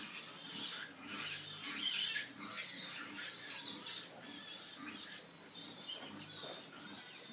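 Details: Several pigs squealing: shrill, harsh, high-pitched cries in overlapping bursts about once per second, with lower grunting tones underneath throughout.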